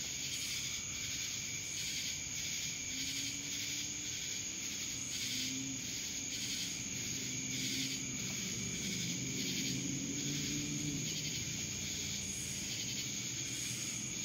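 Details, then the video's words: Insistent buzzing of many cicadas in Dallas, Georgia, pulsing rhythmically about twice a second over a steady high whine, with faint low drawn-out tones beneath the chorus. "Cicadas Black Screen Sounds"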